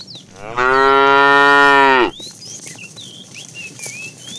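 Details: Tame cow being herded to pasture in the morning gives a single strong, level moo lasting about one and a half seconds, followed by clear whistled bird chirps in the background.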